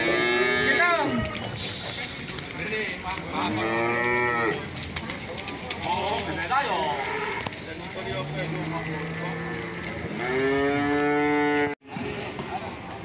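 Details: Fierce, raging cattle that panic their owner: several loud, drawn-out moos with rich harmonic stacks, some rising then falling, spaced a few seconds apart, with background speech and a brief cut near the end.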